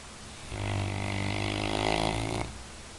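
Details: One drawn-out Labrador Retriever snore, roughly two seconds of buzzing, fluttering rattle that swells slightly toward its end, with near silence before and after.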